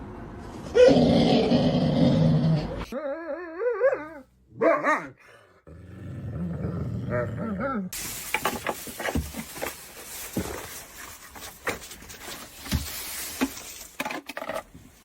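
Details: Dog shown in a funny compilation of goofy dog antics, making a long rough growl, then wavering whiny yowls and a further low growl, before a busy stretch of clatter and background noise.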